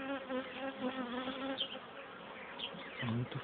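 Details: Western honey bees buzzing in an opened hive during an inspection on 30 June 2013, working well and bringing in pollen; a steady, dense hum with layered tones and no speech.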